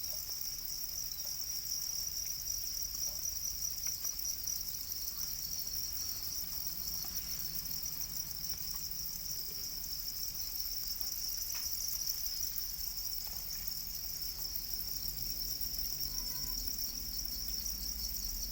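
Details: Domesticated black crickets, also called Para crickets, produce a steady, very high-pitched continuous trill that shimmers without pause, with a few faint clicks and taps in the background.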